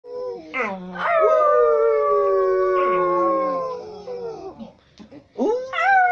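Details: Singing dog: long drawn howls sliding slowly downward with rich harmonics, a rising yelp near the end, faint background hum.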